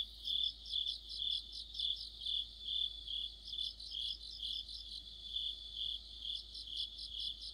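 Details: Many crickets and other insects singing in mid-autumn near a streetlight; rapid high chirping pulses, about two per second, mixed with a shimmering overlapping trill of separate callers.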